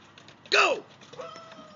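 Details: Greta, a Giant Schnauzer, excited as temperatures drop and snow is on its way, lets out one sharp harmonic bark that arches and falls in pitch. A faint steady tonal hum follows in a quiet room.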